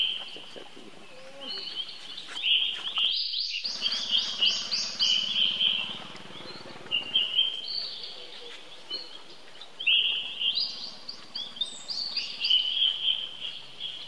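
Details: Baby monkey calling for help: long, high, wavering screams that hold level and then rise and fall, repeated in drawn-out bouts with short breaks, over steady outdoor background noise.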